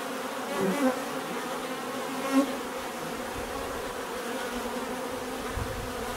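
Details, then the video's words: Buzzing bees, a steady droning hum with a couple of brief louder swells as individual insects pass close, otherwise an even texture. "bees therapy relaxing natural buzzing sound"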